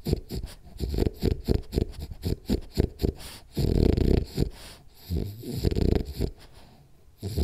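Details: Sleeping French Bulldog Rolly, dreaming he chases cats: quick, irregular snorting and wheezing breaths, several per second, with a few longer raspy snores mixed in.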